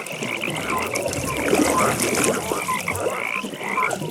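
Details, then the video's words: Frogs calling at a pond at night: a dense, blurred chorus of rapid pulsed trills, with scattered short clicks and croaks rising above a steady hiss of background calling. "Frog Pond"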